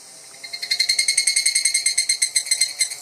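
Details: An evening cicada (higurashi), filmed at very close range, sings a fast, ringing "kana-kana" series of high metallic pulses that swells in after a quiet start; in summer these cicadas chorus from woods at dawn and dusk.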